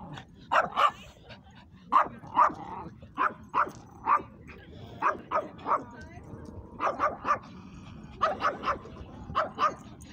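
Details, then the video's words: Dog barking at a dog park: short sharp barks repeated in quick pairs and clusters, roughly every half second, with brief pauses between bursts, over a low background murmur of people talking. "BARKING LOUD AT THE DOG PARK"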